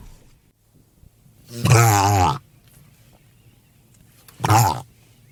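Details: Mediterranean monk seal giving two loud, harsh, throaty roaring calls, the first about three-quarters of a second long and the second shorter, separated by near silence.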